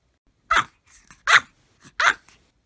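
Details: Several Maltese dogs barking together at full force; three sharp, loud barks about three-quarters of a second apart, with softer yips and grumbles between them.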